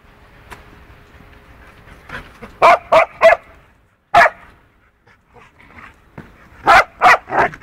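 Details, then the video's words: Punky, a two-year-old poodle, plays roughly and clumsily with a four-month-old wolfdog puppy. Short, sharp barks come in quick bursts of two or three, with brief quiet gaps and faint yips between them. "Poodle VS Wolfdog, ruff play."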